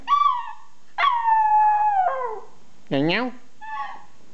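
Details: Louie, a little pet dog, howls back to a person's funny sounds: short tonal howls and one held, gently falling note, interrupted by a swooping human vocal burst and a faint closing call.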